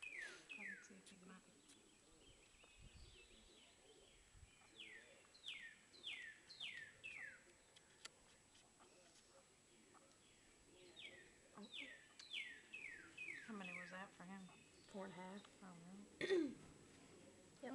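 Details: Baby squirrels kept by people squeak while being fed: rapid series of high, sharply falling chirps, repeated in bursts through most of the stretch, with people talking quietly over them and a low rustle underneath.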